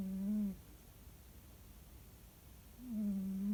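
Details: Sleeping pet cat snoring at home: a low, smooth, humming breath sound that fades after half a second, followed by about two seconds of quiet before the next snore rises.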